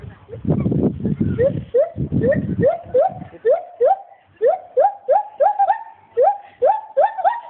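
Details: Paul, a captive male agile gibbon at Monkey World park, calls as a rapid run of short rising whooping notes with bright overtones, which speed up and climb slightly after an opening burst of low rumbling noise.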